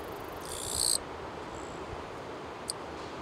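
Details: A Japanese katydid, vibrating its wings while calling from an oddly off-balance posture, gives a single short, buzzy, high-pitched rasp, then falls quiet.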